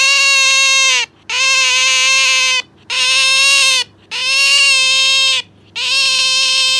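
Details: Captive Asian small-clawed otter clinging to its owner, calling noisily: sustained high, steady whining squeals each lasting over a second, strongly harmonic, repeated in a fairly regular series with short silent gaps between them.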